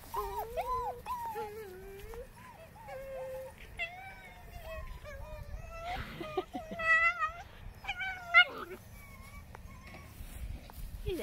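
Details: German Shepherd puppies play wrestling, giving high whimpering whines and yips: many short tonal cries that slide up and down and follow almost without a break, with a few sharper yelps near the end.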